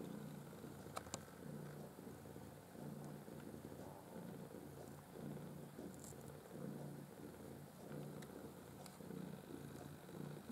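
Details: Purring from Maine Coon kittens, part of a litter of five in black white and blue white born 6 August 2015 at a breeder; low, pulsing rumble in regular waves about once a second, quiet indoor background with scattered clicks.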